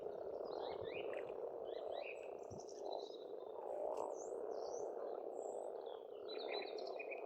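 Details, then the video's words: Dense chorus of many frogs at a pond in Estonia in spring, a continuous low rattling croak filling the air, with several songbirds whistling and trilling clearly above it. "Расслабляющее пение птиц и лягушек, весна, природа."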